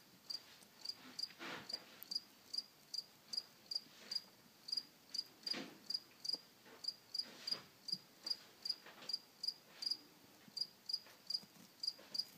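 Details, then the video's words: A cricket chirps in summer, giving short, high chirps repeated steadily about three times a second. "Cricket chirping"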